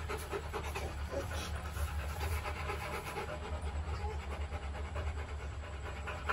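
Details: Rottweiler puppies Bruno and Dora in their kennel, breathing in steady, rapid, breathy pants, with a low constant hum underneath throughout.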